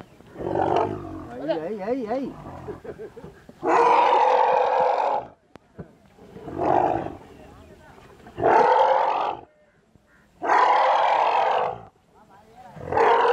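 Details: An elephant mother and her young stuck in a well while rescuers work to free them. A wavering cry is followed by repeated broad, harsh roars about every two to three seconds, with brief quiet gaps between.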